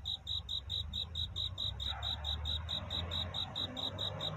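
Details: Crickets singing a night courtship song, a high, bright chirp repeated in a quick, steady train of about four pulses a second over a low background rumble.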